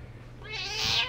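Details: A male Persian cat gives a single short, bright meow that swells and rises toward its end while his owner talks with him.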